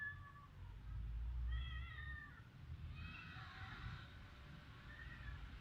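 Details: Domestic cats in a Khmer village in Cambodia, filmed on a Samsung mobile phone; several short, thin, rising-then-falling meows over about six seconds, with a low rumble of background noise underneath.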